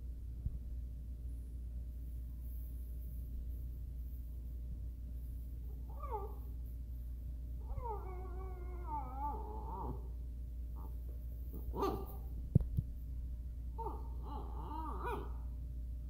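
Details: Miniature Schnauzer asking to play: a series of wavering, nasal whines and short yelps, one longer quavering moan in the first half, then clipped whimpers, with a click and a steady low hum beneath.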